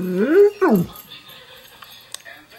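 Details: Female German Shepherd reacting to her own image on a screen, filmed with a dog cam; two loud tonal yelping whines, the first rising then levelling, the second sweeping sharply down, followed by faint background noise and a click.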